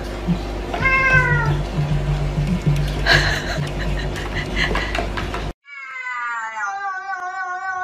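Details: Kittens meowing in a funny cat compilation: one thin rising mew near the start over loud background music and room noise, then after a cut a clearer, drawn-out descending meow with strong harmonics.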